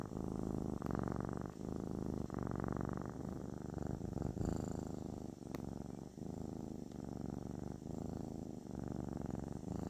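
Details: Close, steady purring from a kitten, called therapeutic; a low buzzing rumble pulses in rhythmic segments about a second long with brief gaps, plus a faint click near the middle.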